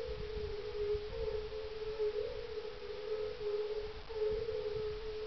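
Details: On a mild dusk, 30 May 2011, at a glacial kettle pond in farmland near Parstein, northeast of Berlin, a chorus of European fire-bellied toads gives soft, melancholic, overlapping 'oong' notes merging into a steady hum.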